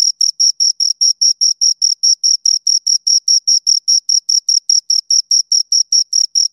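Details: Crisp, high-pitched cricket chirps from two insects, pulsing steadily about five times a second in a regular beat, nothing else heard.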